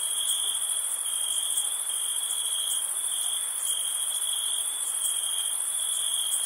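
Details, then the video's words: Crickets on a summer night, their chorus a steady, unbroken high trill with an even fainter, higher shimmer above it; no other animals, voices or music intrude. "Crickets Summer Night"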